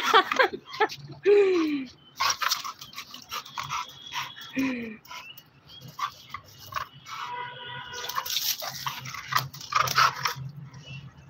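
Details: Dollar, a pet American Bully relaxing on a terrace, gives several high, falling whines and whimpers, a few sliding down sharply, between short yips, with people's voices and background music in places.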